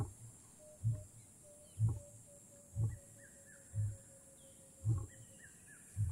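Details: Wild lion in Kgalagadi Transfrontier Park giving deep, low grunts repeated about once a second in a steady series, with thin whistled bird calls and a faint steady tone in the background.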